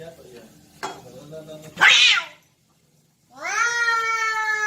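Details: Two cats fighting: a sharp, harsh outburst near two seconds, a brief silence, then a long, drawn-out, strongly tonal yowl held at a steady pitch. Lower growling murmurs come before it.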